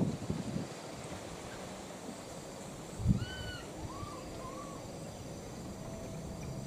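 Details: Wild baby monkeys, a pair, calling out for their missing mother; after a dull thump, three clear whistled cries rise and fall in quick succession, then quiet background hiss.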